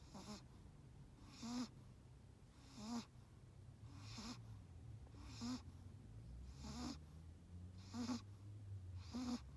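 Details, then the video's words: Chihuahua asleep in sunglasses, snoring steadily: a raspy breath about every one and a half seconds, each ending in a small nasal whistle, with a low droning hum underneath. "Snoring Chihuahua"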